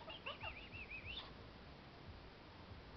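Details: Pet kakariki asking its owners for snacks: a single warbling whistled phrase of wavering high notes lasting just over a second, followed by quiet.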